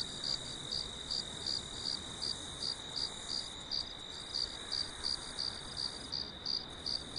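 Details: Crickets chirp steadily at night on a farm under a full moon, high-pitched pulses repeating about three times a second over a constant hiss.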